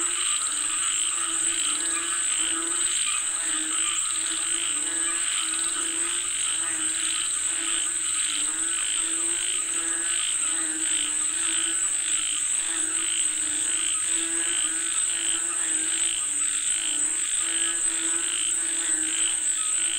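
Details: Many frogs croaking together as they call for rain, a rhythmic, pulsing chorus of rich nasal notes over a constant high whine.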